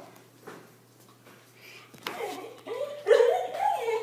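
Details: Siberian Husky named Arya, indoors and frightened of a balloon, gives drawn-out tonal whining yelps that rise and waver in the last second, over a woman talking to her in Spanish.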